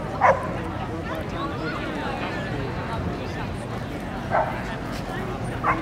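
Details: Keeshond puppies yipping: three brief, high, abrupt yelps, one near the start, one past four seconds and one at the very end, over constant murmuring human voices.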